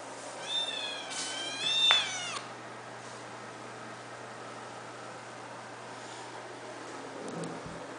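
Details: White kitten, eight weeks old, giving two high, thin meows in quick succession, each a wavering rising-then-falling whine with clear overtones, followed by quiet room hum and a faint rustle near the end.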